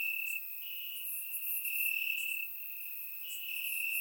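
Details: Bulgarian summer night chorus of crickets in grass: a continuous high-pitched trill with a brief loud burst near the middle and a softer stretch after, other faint insects chirring higher above.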